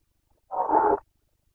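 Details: Carpathian red deer stag in the 2021 breeding season, giving a short rutting roar: a single harsh, noisy burst of about half a second, centred in the mid range, loud against an otherwise silent background.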